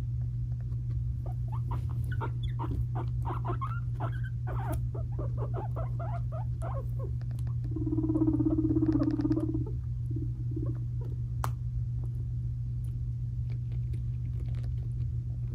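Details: Fighting young male guinea pig brothers, five months old: rapid irregular teeth chattering and clicking, then a low buzzing rumble lasting about two seconds, a few more clicks after, all over a constant low hum.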